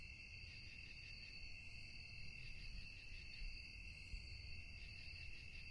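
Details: A steady shrill drone of crickets at night, layered and unchanging, with a faint rapid pulse. Low background rumble grows slightly louder in the middle, and a soft thump sounds near the end.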